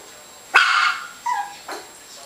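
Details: Teddy Bear Shichon puppies playing in a nursery: one sharp, loud bark, then two shorter, higher yips follow within about a second, with faint human voices nearby.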